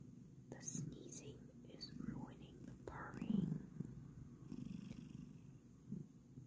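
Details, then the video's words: Bengal cat Kokoa purring as she gets ready for bed before making biscuits, a steady low rumbling purr in a small indoor room, overlaid by soft whispered human speech and a few light clicks. "Kokoa Purrs, Then Makes Biscuits"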